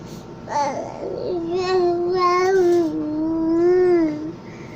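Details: Cat making soft noises while napping, October 19, 2020: a short rising chirp flows into a long, steady, gently wavering moan of about three seconds, indoors with low background hum.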